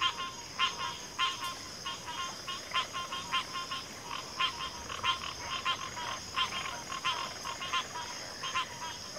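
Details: Frogs calling in a dense chorus, overlapping rapid croaking bursts packed closely through the recording, with a constant shrill high hum behind them.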